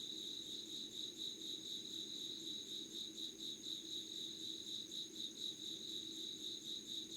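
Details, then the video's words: Insects calling at 5:00 on 25 August 2019 in Yugawara, Kanagawa, Japan: a dense chorus of rapid, high pulsed trills about two per second, layered over a thin, steady, higher whine and a soft low background hum. "Sounds of insects with candle light.☆ろうそくの灯りと虫の声"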